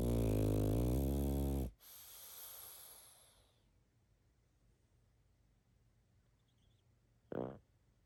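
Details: Pug sleeping and snoring: a heavy, rumbling snore of nearly two seconds, a breathy exhale, quiet, then a short snort near the end.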